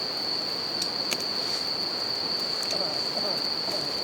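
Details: Bell crickets singing outdoors beside a campfire and a river: a steady, unbroken high-pitched ringing tone runs throughout, over the constant rush of flowing water, with sharp crackles and pops from the burning fire.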